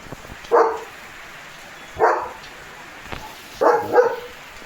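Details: German Shepherd named Leo on morning guard duty in a village, where he barks at cattle, vehicles and dogs. Three separate loud, deep barks come roughly a second and a half apart, with the last one doubled, as rain begins to fall.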